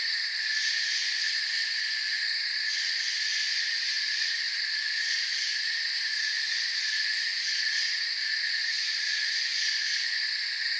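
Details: Forest crickets chirping softly at night: a continuous, even wall of high insect trilling in layered bands, barely changing in loudness, with no birds, voices or wind.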